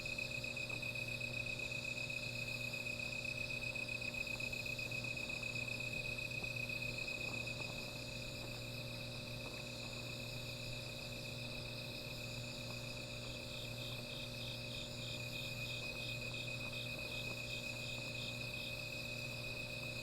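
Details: Insects calling at night beside a small fire: a steady high, thin trill held throughout, with a softer pulsing buzz higher up joining near the end, over a low constant hum and faint crackles.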